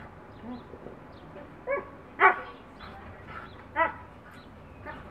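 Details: Two dogs, one a Siberian Husky, playing through a backyard fence with the neighbour's dog; scattered short barks and yips at irregular intervals, one louder bark standing out, over low background noise.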